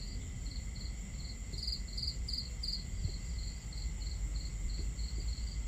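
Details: On a starry night at camp, crickets give repeated high chirps about two and a half per second, with a brief louder buzzy stretch in the middle, above a broad low background of crackling fire and running water.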